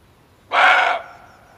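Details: Male barking deer, offered as a lure for hunting: one loud, harsh bark lasting about half a second, broad and hoarse, then a faint fading tail over a quiet background.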